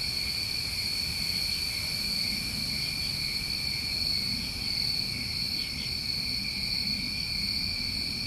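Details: New England summertime crickets on a recorded night: a steady, unbroken high trilling chorus holding two bright pitch bands, with no pauses, over a soft low rural background hum.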